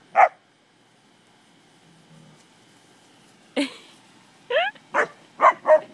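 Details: One lone bark opens the clip. After a long quiet gap come a burst of barks and a rising, whine-like yelp from English springer spaniels as they play with cattle.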